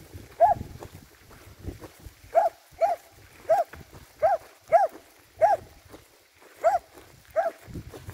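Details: Finnish Lapphund dog barking: a run of about nine short, sharp, mid-pitched barks with clear harmonics, spaced roughly half a second to a second apart over eight seconds, with faint background rustle between them.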